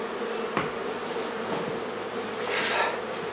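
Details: Honey bees from a hive being removed from a barn in La Feria, Texas, in a dense, steady buzzing drone, with a sharp knock near the start and a brief hissing rustle late on.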